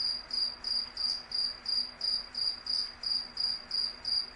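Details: Cricket chirping in a tight regular rhythm, short bright trilled chirps about three per second, with only faint hiss and low hum behind.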